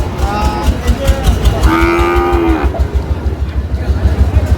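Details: Sahiwal bull calves at a cattle market in Comilla, Bangladesh, on 25/4/25: one steady, drawn-out moo lasting about a second. A low engine-like rumble runs underneath, with faint market voices.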